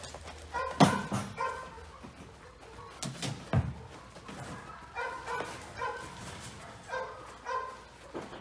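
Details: Clover, a young female Border Collie, during a day of board-and-train obedience work to build her confidence: short, tonal, whimpering yips repeated every second or so, with a couple of sharper barks and soft handler praise.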